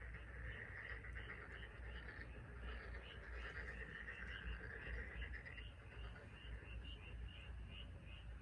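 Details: Frogs calling together on Korea's Taean Peninsula, with a dense, trilling mid-pitched chorus topped by quick repeated higher pips, about one and a half per second, above a continuous low rumble.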